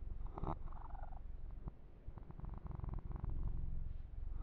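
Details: Low rhythmic purr from Yumak, a pet male kitten receiving a massage, pulsing steadily with a few sharp touches and fur-grooming rustles on top.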